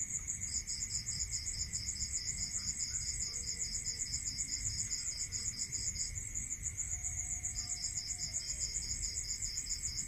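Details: Crickets at night in a rural setting, giving quick evenly spaced high chirps; a second pulsing voice breaks off near the middle and picks up again, over a steady hum and low-frequency noise.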